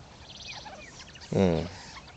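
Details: A baby meerkat, one of five young just days out of the burrow, gives a single loud harsh call of about a third of a second, strongly harmonic and low, after quieter chatter; soft background murmurs.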